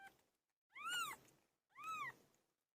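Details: Pilo, a pet cat, calling while giving birth: two clear meows about a second apart, each rising then falling in pitch with bright overtones, separated by near silence.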